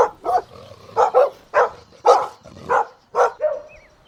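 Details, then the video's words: Golden Retriever puppies at play outdoors in a green meadow, giving a loud, rapid series of rough yelping barks in quick pairs and singles, filling the whole stretch. "Adorable Golden Puppies Playing Outdoors | Relaxing Dog Sounds"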